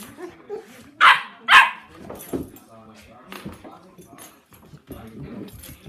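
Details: Puppy play between 10-week-old Sandy and seven-month-old Rozzie: two loud, sharp barks in quick succession open the scene, then quieter growls and yips beneath human speech.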